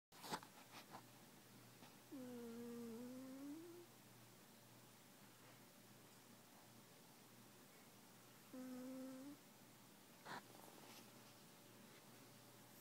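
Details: Cat snoring indoors: two drawn-out, humming nasal tones, the first rising over about a second and a half, the second shorter, separated by several seconds of quiet breathing-room hush.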